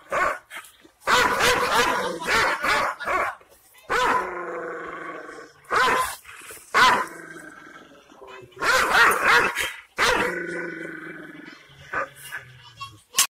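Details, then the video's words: Angry, hostile Aksaray Malaklı Kangal shepherd dog giving loud harsh barks in irregular bursts, mixed with drawn-out, strained, throaty tones, and brief pauses between outbursts. "Aksaray malaklisi Kangal çoban köpeği Anadolu aslanı vahşi hırçın kızgın köpek havlaması urmesi sesi"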